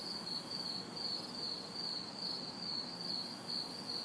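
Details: Crickets and cicadas chirping on a hot, humid summer night in a city backyard: a steady high pulsed chirp repeating about two or three times a second over a broad hiss, with faint distant traffic beneath.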